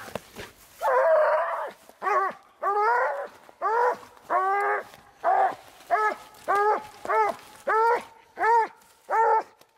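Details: Treeing Walker Coonhound out coon hunting, giving a steady run of loud, ringing, harmonic barks, each drawn-out bawl repeating about every second after a rough opening yelp.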